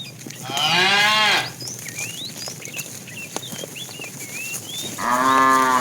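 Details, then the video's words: Tame cows herded to green pasture in the morning: a loud, drawn-out moo lasting about a second. A second moo starts near the end. Short chirping birdsong fills the quieter gap between them. "Funny cow sounds"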